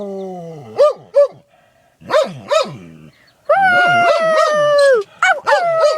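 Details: Pet dog howling while sneezing: short explosive sneeze bursts interrupt a tonal howl that slides downward, followed by a long, loud, steady howl and more sneezy yelps at the end.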